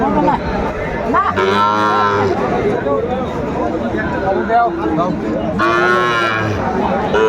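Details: At a Madaripur cattle market in Bangladesh on 10 September 2024, a Sahiwal bull gives two loud, deep, harmonic moos about four seconds apart, amid bargaining voices and crowd hubbub.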